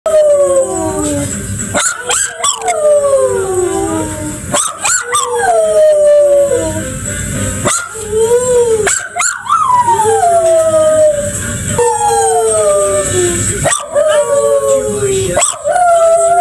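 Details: Pet toy poodle singing along: long, wavering tonal howls that slide downward, rich in harmonics, broken by short sharp yips and breaths, repeating in phrases of two to three seconds with a steady hiss behind.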